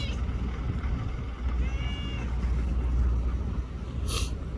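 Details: Free-roaming cat at a Japanese park or port, with a little tortoiseshell and a young black kitten nearby, gives one short, thin meow midway, set against constant buffeting wind and a brief hiss of noise near the end.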